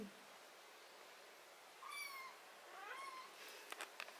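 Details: Domestic cat being treated for botfly larva, ringworm, fungus and blackheads on its skin gives two clear, tonal meows about a second apart, each bending upward then down, followed by a few sharp clicks from handling.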